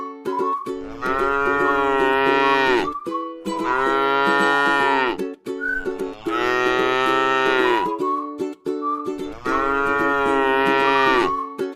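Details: Gentle cattle at rest in a scenic rice paddy give four sustained, steady moos, each lasting around two seconds and spaced evenly, with soft plucked-string music playing between and beneath the calls.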